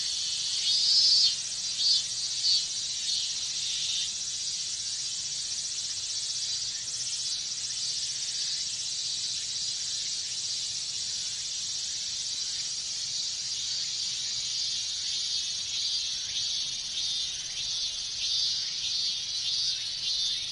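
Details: Japanese summer chorus of minmin cicadas: an unbroken high hissing drone of many insects, a few sharp pulses early on, then a smooth even buzz that holds steady throughout.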